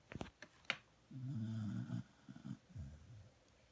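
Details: A sleeping female dog snoring indoors, a low rumbling snore lasting about a second with softer follow-up breaths, preceded by a few short clicks and knocks.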